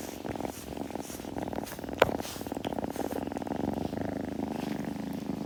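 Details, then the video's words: Close, even purring from a kitten indoors, a continuous low throbbing rumble with one sharp click near the middle and light rustles in the background. "子猫のASMR / グルグル音・毛づくろいの音など"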